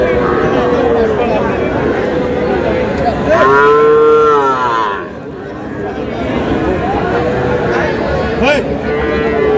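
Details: Cattle, young bulls and heifer calves, at a livestock market in Noakhali, Bangladesh, bought by a farmer: long drawn-out moos with clear harmonic bands, one loud bellow near the middle, over steady crowd chatter and bargaining voices.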